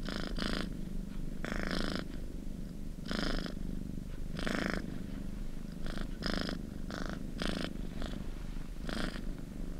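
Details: Cat purr: a continuous deep rumble under repeated rasping breath surges, some in quick pairs, spaced roughly one to one and a half seconds apart.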